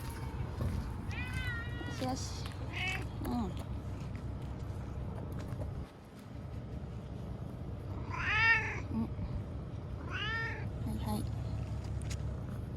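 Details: Crying and thrashing after capture, the timid TNR cat Chanta (formerly Nyaa) waits out Typhoon No. 10 in an Okinawa bathroom, September 2020. Loud, strained meows with rising-then-falling pitch repeat every few seconds over a low droning hum.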